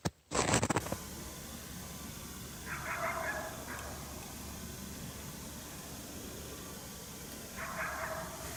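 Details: A coyote, heard but unseen, barks in displeasure at a hunter's presence during a coyote hunt at St-Andrews on 1 March 2019. Two short, harsh, harmonic barks stand out at the start and near the end over steady wind-like noise, after a brief thump.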